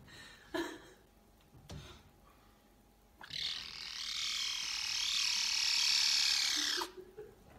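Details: A caracal (Caracal caracal) kitten gives a long, shrill, buzzy squeal that sounds almost electronic, like a laser beam.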